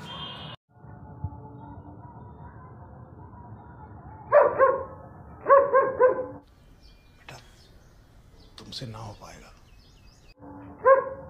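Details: German Shepherd at bath time barks in short harmonic bursts, two quick clusters mid-way and another at the end, with a man talking in Hindi between them and a low background hum.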